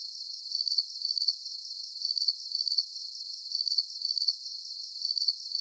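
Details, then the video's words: Steady high-pitched cricket chirping, short pulsed bursts following each other at a quick even pace, a faint continuous shimmer between them and nothing else audible. "Calming Cricket Sounds"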